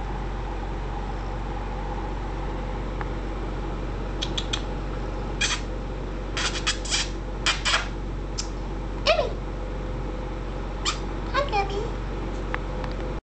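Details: A 3 lb black female kitten with faint gray belly stripes, found abandoned and now in foster care in San Jose, California, purrs in a steady, low continuous rumble throughout, with scattered soft clicks and rustles and a brief squeak midway.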